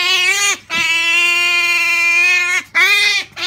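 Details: Pet Asian small-clawed otter at Halloween, receiving a jack-o'-lantern pumpkin: loud, sustained, high nasal squealing calls, a short squeal, then a long steady one of about two seconds, then another brief squeal.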